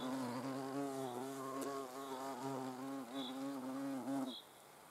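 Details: Hornet under observation, its wingbeats making a steady, rich, low droning buzz that runs unbroken for over four seconds with slight wavering in pitch, then stops abruptly.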